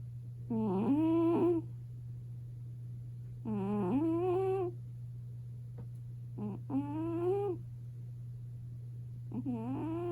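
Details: A sleeping five-year-old female British Shorthair cat, lying on top of a warm kotatsu in a quiet room, snores very loudly in drawn-out, nasal, almost whistled breaths about every three seconds, over a steady electrical hum.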